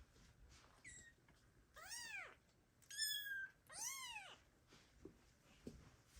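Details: Kittens abandoned by their mother cat meow loudly, calling for her, in 2022; the underweight kittens give four high, arched, wavering meows over about four seconds, the last two longest and loudest, with faint soft thumps around them.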